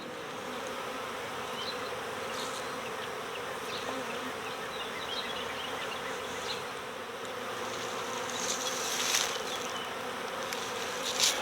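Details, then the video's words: Honeybees from a swarm in the owner's own yard being coaxed into a box, many fanning at the entrance: a dense, steady hum with a low droning band, occasional louder buzzes as single bees pass close, soft rustling throughout. "My Bees Swarmed! Next Door Honeybee Recovery"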